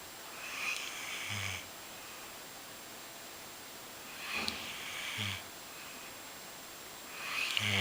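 A Golden Retriever snores, with raspy, breathy bursts and a low rumble every few seconds.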